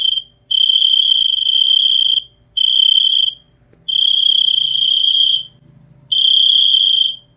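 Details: Crickets give loud, shrill trilled chirps, each burst lasting about one and a half seconds and separated by short pauses, against near silence.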